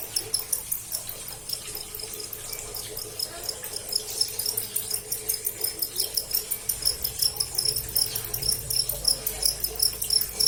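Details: Cricket recorded directly, giving shrill, high-pitched pulsed chirps repeated rapidly, roughly three per second, in a steady continuous stream over faint background hiss.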